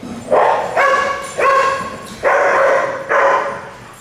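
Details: Daycare dogs at Tails-A-Wagging in a group setting known for nuisance, alert and demand barking; five sharp, ringing barks spaced unevenly under a second apart over four seconds, each fading quickly, with no other clear sounds.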